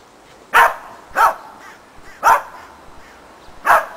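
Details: Shetland Sheepdog barking while training running contacts in agility through a box with a jump grid; four sharp, clipped barks at uneven intervals, roughly every half to one second.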